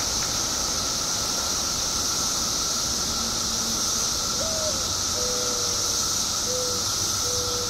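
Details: Billions of periodical cicadas emerging after 17 years underground, Illinois. A continuous, level drone fills the air beneath a bright, high hissing wash, with a few faint short whistled notes in the background.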